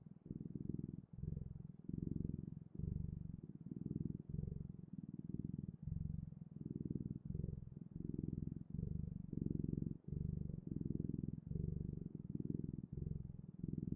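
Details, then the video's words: Rhythmic cat purr, a low buzzing rumble repeating in breath-length pulses with short silent breaks between them, steady throughout and heard up close with no other sounds. "Sounds of Cat's Purring"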